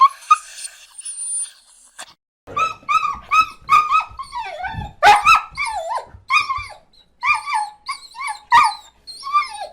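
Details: Dog crying, a series of high, wavering whimpers and yelps that bend up and down, several per second in short bouts with brief silences, a few sharper yips between; no other sounds.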